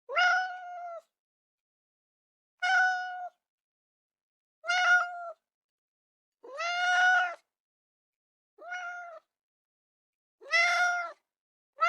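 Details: Domestic cat giving seven drawn-out, harmonic-rich meows, each about half a second to a second long, spaced roughly every one and a half to two seconds, with steady pitch and a quiet background.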